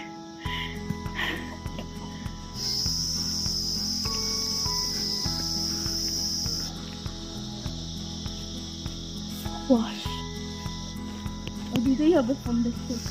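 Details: A cricket in Dawaipani, a high-altitude, cold village in Darjeeling district, gives a thin, high, continuous buzzing trill that rings steadily above a low mechanical hum.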